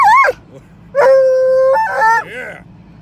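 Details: Treeing Walker Coonhound, a loud male dog, howling on the way to the vet: a steady, sustained tone lasting under a second, followed by shorter wavering yowls, with a brief whine at the start and steady engine hum underneath.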